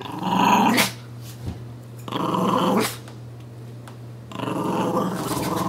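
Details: Puppy growling during tug play with its dolphin pillow toy in a small room; three separate rough growling bursts, under a second to over a second long, with quiet pauses between and a person teasingly saying "give me that".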